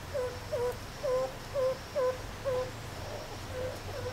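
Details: Meerkats playing and relaxing at Zoo Rostock, Germany, in July 2014, filmed with a Sony HDR-CX550. Short, falling squeaky chirps near the same pitch repeat roughly every half second, fading in the final second, over a steady low hum.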